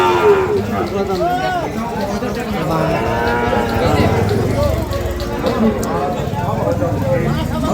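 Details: Sahiwal bulls and calves being bought and sold at the Ambari haat in Parbatipur, Dinajpur, Bangladesh, 5 May 2025; several low, bending moos rise and fall through the middle, amid steady human voices and bustle of the livestock market.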